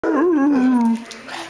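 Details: Hound dog on Mother's Day giving a short, smooth howl that rises slightly, then slides slowly downward and fades after about one second.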